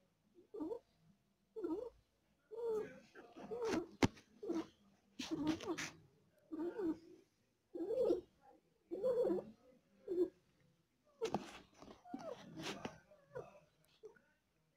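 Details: Cat in labour, delivering four kittens and feeling pain, makes short throaty purring pulses roughly every second, separated by silent gaps, with occasional sharp clicks and rustling between them.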